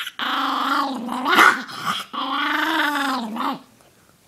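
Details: Male Chihuahua, indoors, growling after his rest is interrupted. A loud, continuous rumbling growl runs for about three seconds, with a brief rise and break in the middle, then fades out.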